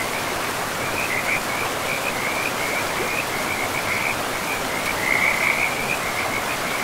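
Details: Frogs along a forest river produce a fast series of short, high, buzzy trill bursts, roughly three a second and uneven, with one louder burst near the end, over steady river rush.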